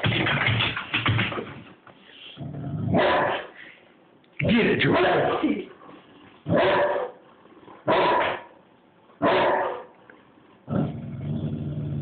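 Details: George, a Bullmastiff, reacts to a battery-operated squirrel toy with loud, broadband barks in separate bursts about every one to one and a half seconds, with quieter murmuring and a person's voice in the gaps.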